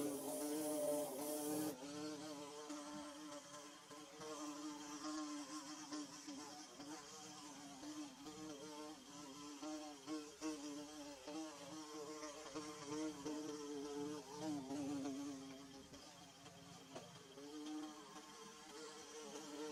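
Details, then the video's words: Bees at work building their hive give a continuous, wavering drone, harmonics shifting slightly as insects move nearer and farther; a short hissy burst at the start, otherwise a steady hum throughout. "Bee Buzzing"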